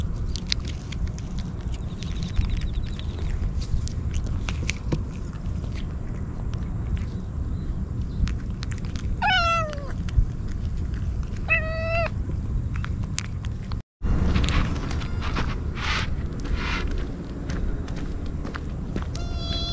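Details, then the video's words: Stray kitten crying without pause while eagerly eating Churu and Sheba treats, filmed on a GoPro: two drawn-out, falling meows mid-clip amid steady chewing, rustling and handling noise, with a brief dropout near the end. "すさまじい勢いでちゅ～るとシーバ(Sheba)を食べるかわいい子猫 とにかく必死で鳴き叫び続ける 野良猫"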